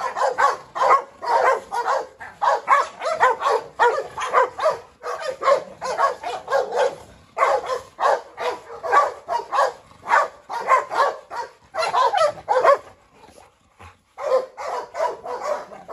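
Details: Presa Canario female, Rottweiler Pirate and a Staffordshire terrier chasing around a yard. Long stretch of continuous rough barking, fast and uneven, stopping briefly near the end before resuming.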